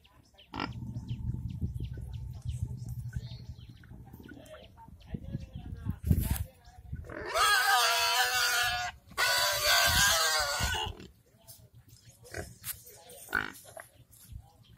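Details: Village pigs at feeding time: low rapid grunting through the first six seconds, then loud harsh squeals in two long bursts around seconds seven to eleven, followed by scattered grunts and snorts.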